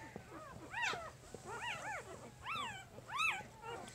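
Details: A puppy from Jig's litter at three days old squeals repeatedly, roughly five curved high cries in pairs and singles, over a faint steady low hum.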